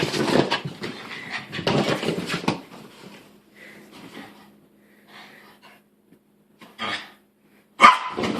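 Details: Pet dog reacting to a new sweater it dislikes, making unusual grumbling, groaning noises in bursts over the first few seconds, then softer short whines and a sharp final burst, with a steady low hum from a vibrating phone.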